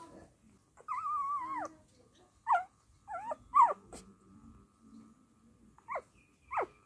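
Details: A Dachshund mother with her puppies gives a drawn-out wavering whine lasting almost a second, then clustered short whimpers with bent pitch, a quiet pause, and two final falling whimpers.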